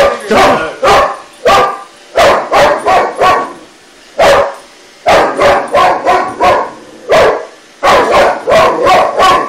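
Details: Boxer named Shoeless barking at a toy robot he is challenging; a steady volley of loud, punchy barks, often doubled or tripled in quick succession, with short silent breaks.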